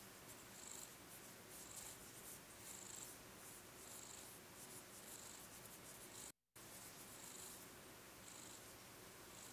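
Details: Tatsu, a male tabby cat, purring while being petted and brushed indoors; a steady low rumbling purr runs beneath repeated soft brushing strokes, with a brief silent gap near six seconds.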